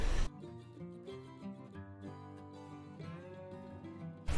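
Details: Soft acoustic guitar music plays, with no animal voices heard.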